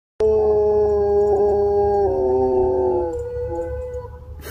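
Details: A Doberman howls in one long, steady, sustained note that shifts slightly lower after two seconds, then drops and fades out near the end; a quiet low hum underneath.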